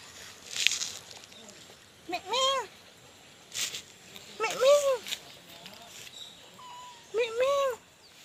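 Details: Kitten roaming on the ground, giving three drawn-out meows, each arched and sliding down in pitch, spaced about two to three seconds apart, with soft rustling and faint background noise between them.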